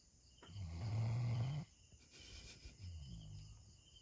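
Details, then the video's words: Snoring of Bella, a Doberman Pinscher dog asleep in an odd position: a deep, steady snore of about a second, a pause, then a second, fainter snore trailing off. "[DOBERMAN PINSCHER] [Snoring dog]"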